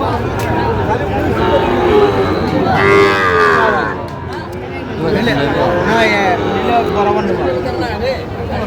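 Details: Sahiwal calves at Aftabganj cattle market on a Saturday, 16 August 2025: two bouts of deep, rising-and-falling moos separated by a brief pause, with people bargaining and general market hubbub behind.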